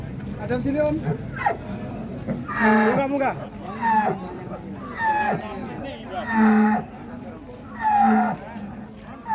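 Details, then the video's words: Cattle lined up at a 2022 cattle contest in Indonesia, giving deep drawn-out moos about every two to three seconds, each a low harmonic bellow, with background music and distant voices. "SAPI RAKSASA BERJEJER RAPIH DI KONTES SAPI 2022"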